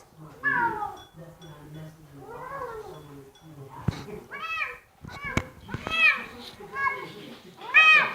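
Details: Female Bengal cat vocalising while enjoying her dinner at home; a string of short rising and falling mews, some sharp and bright, with a low rumbling murmur early on and a woman's gentle voice asking about the food.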